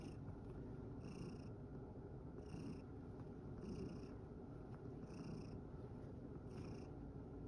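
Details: Tired from play in a field, Sacchan the rescued male cat purrs in a continuous deep, pulsing rumble. Thin high-pitched bursts return about every second and a half over the purring.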